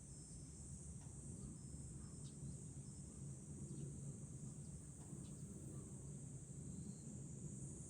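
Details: Cicadas sing a steady metallic high hiss in July on a hilltop above Fukuoka city, Japan, with a faint chime note and a low breezy rumble underneath.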